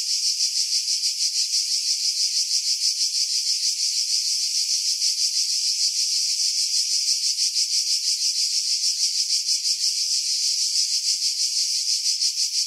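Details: July 2018 cicada song from pine woods on Skiros Island, Greece, near Pefkos Bay: a long, relentless high rasping buzz beating rhythmically about three times a second, with no other sounds after heavy wind filtering.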